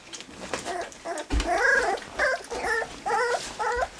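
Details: Three-week-old black English Labrador Retriever puppies, Gracie and Charlie's litter, enjoying their first taste of goat's milk; a run of high, arched whimpering squeals repeated in quick succession, with lapping and shuffling noises beneath.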